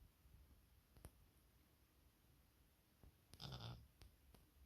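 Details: Sleeping Maine Coon cat at home lets out one brief, raspy snoring breath late in the clip, surrounded by soft clicks and quiet indoor background.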